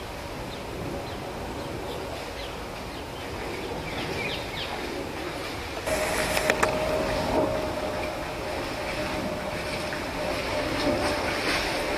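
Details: Steady vehicle and train rumble with a sustained mechanical squeal and no animal calls.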